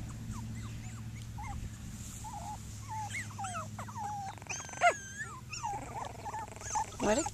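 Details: Seven Cockapoo puppies playing outdoors give repeated high, thin whines and squeaky whimpers, short rising and falling notes overlapping irregularly, with a steady low hum and occasional louder yelps near the end.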